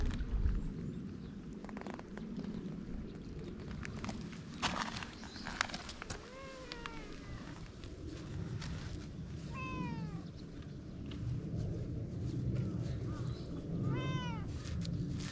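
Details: Free-roaming cats on a Japanese cat island, filmed on GoPro: three separate short, bent meows spaced several seconds apart, fairly quiet against a broad hiss of outdoor noise and occasional clicks.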